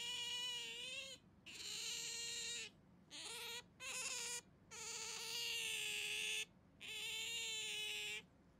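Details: Pet otter holding on to a hand during play, giving long piercing whining calls, each one to two seconds, some with a dip and rise in pitch, separated by short silences.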